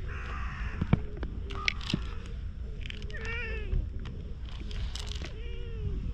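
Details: Stray cat rolling over on the ground as if appealing for something, filmed on a GoPro: several short harmonic meows, one longer rising-falling mew near the middle, over steady low outdoor rumble with faint clicks.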